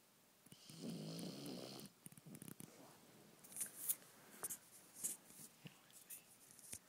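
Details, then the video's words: A dog called Conner snores in his sleep in the dark: one coarse, buzzing breath of about a second, then quieter scattered clicks and rustles with faint sounds in the room. "My dog Conner snoring"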